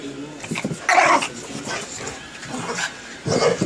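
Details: Two dogs, a 25 lb Boston Terrier and a 110 lb Labrador/pit mix, play-fighting indoors; short rough growly bursts near one second and again at the end, with a person talking between them.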